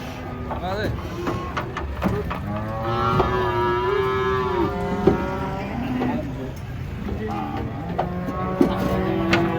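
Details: Giant cattle being unloaded from a truck, described as fierce: several drawn-out harmonic moos overlap and bend slightly in pitch, with a low engine rumble and occasional clanks and thumps underneath.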